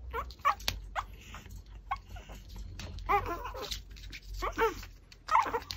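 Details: Pomeranian eating a raw pork backbone gives short, whiny, wavering whimpers in four separate bursts over six seconds, set among crunching chews and sharp clicks of bone.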